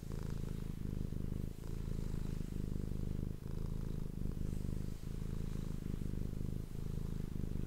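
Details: Pet cat purring steadily for the ASMR microphone, a low, even, throaty rumble with regular brief breaks between inhalation and exhalation, quiet and uninterrupted throughout.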